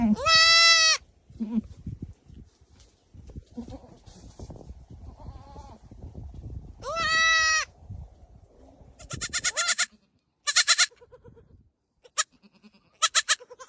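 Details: Young goats in pink headbands bleating: two long, quavering bleats about six seconds apart, then a run of shorter, higher, clipped bleats in quick succession, with soft rustling between.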